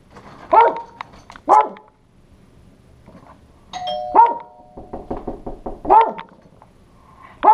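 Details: Pekingese male guarding his house against an intruder, recorded on a GoPro: a doorbell ding-dong rings twice while the dog gives repeated sharp barks, single and spaced about a second or more apart, amid household clatter.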